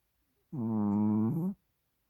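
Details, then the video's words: A sleeping Chihuahua called Hodu, curled on a microfiber blanket indoors, lets out a single buzzing, nasal snore about a second long, level in pitch and dipping slightly at the end; otherwise quiet. "Snoring Chihuahua 코 고는 치와와"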